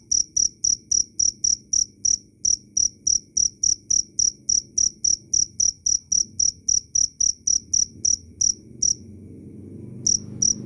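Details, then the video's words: Loud, clear cricket chirping: rapid high pulsed chirps about four per second for most of the clip, stopping near the end as low rumbling noise rises, then resuming briefly. "Suara asli jangkrik Keras dan jernih"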